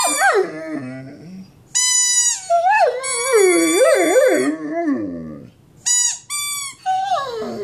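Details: A big Mastiff howling in a long wavering series, pulling the pitch up and down with slides and bends. Bright, ringing tones break off in short gaps, and some low moaning notes come between them.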